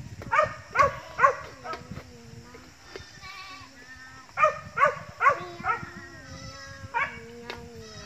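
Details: Several goats of an expanding herd bleating in bursts of three or four sharp calls, with softer, flatter, drawn-out bleats between them and light background noise.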